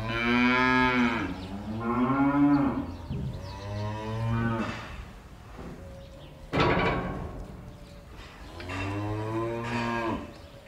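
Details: Several cows in a barn give long, deep moos with a rich, buzzy tone, some rising then falling, in a loose series about every two to three seconds with brief pauses between.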